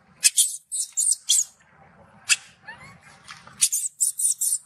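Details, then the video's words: Angry baby macaque shouting loudly after its mother refuses it milk: shrill, harsh screams in short bursts, about eleven in all, grouped at the start and end with a quiet gap between, plus faint low rumbling. "The mother monkey refused to give the baby monkey milk, the baby monkey got angry and shouted loudly"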